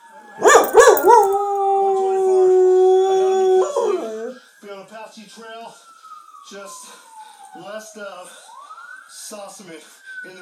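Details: Pet dog howling with TV sirens; barking yelps lead into a long steady howl, followed by TV voices and a wailing siren.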